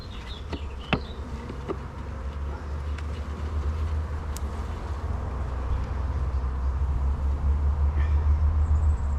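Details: Honey bees in an apiary beehive opened for inspection, with drone cells visible; a steady low droning hum runs throughout, swelling slightly toward the end, broken by a few sharp clicks and handling knocks.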